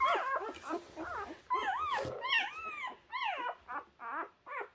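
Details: Young puppies finding their way and struggling to climb; bursts of arched, whistle-like squeals and whines, a few per second, from more than one pup.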